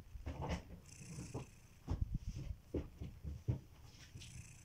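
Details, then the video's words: Kitiboy, a domestic cat, asleep and snoring: a short run of low, fluttering rumbles in quick pulses, followed by a breathy hiss at the end. "Kittyboy: The snoring cat"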